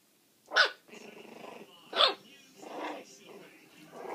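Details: Puppies four weeks and four days old playing loose indoors: two sharp, high yips about a second and a half apart, each followed by softer, rough growling yaps.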